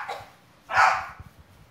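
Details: Bulldog Snuggie playing soccer with a boy in a backyard; one short, harsh, noisy bark bursts out mid-clip, preceded by a brief faint sound at the start, otherwise quiet.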